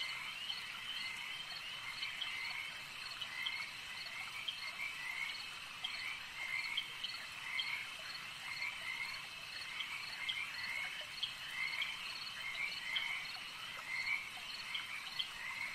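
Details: Frogs at a lake form a thick, layered chorus of high trills, with rising, chirpy croaks repeating in quick bursts throughout and no other sounds breaking through.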